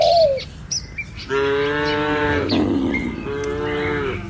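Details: Cattle herded along a rural village road among green trees and wide rice fields toward their pen. One long, steady, deep moo lasting about a second, then a shorter second moo, with high bird chirps scattered through the background.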